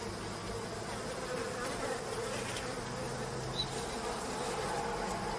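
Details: Continuous buzzing of many bees leaving a hive built on stone while honey is cut away by hand, a thick, steady drone with small fluctuations and a few faint clicks.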